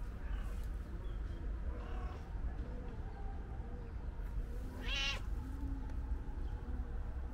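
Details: Calico cat meowing loudly as if wanting to tell something; one short harmonic meow near the middle and fainter mews earlier, over a constant low rumble of background noise.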